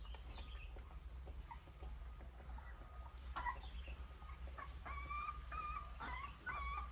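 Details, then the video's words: Puppies nursing from their mother, with scattered quiet smacks and snuffles, then a run of short, high, squeaky whimpers repeated in quick succession over the last two seconds. "Puppy suckling mother’s milk Puppies sound"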